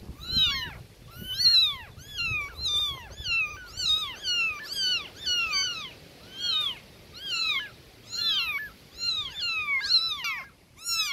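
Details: A chorus of newborn kittens crying loudly for their mother cat, many quick downward-sliding meows tumbling over one another for eleven seconds, a little low rustling at the start.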